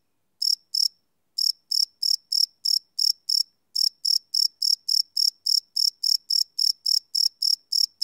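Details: Night chorus of crickets captured live with a Sony PCM D100 field recorder; two chirps, a short gap, then a steady run of shrill, evenly spaced pulses at roughly three per second, nothing else audible.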